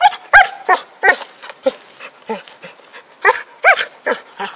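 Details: Happy, a dog with a stick, recorded in 2012: softer, uneven barks come in loose bursts with short pauses between them.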